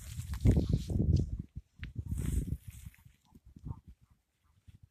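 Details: A group of frogs, calls mistaken for ducks, giving deep, duck-like croaks in quick low pulses, dense and loud for the first three seconds, then sparser, softer croaks trailing off.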